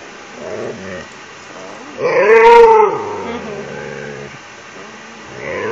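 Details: Pet Siberian Husky named Ranger in his nightly routine of begging for an empty toilet paper roll. After quiet moments comes one short, arched, moaning vocalization lasting about a second. Faint murmurs sound before and after.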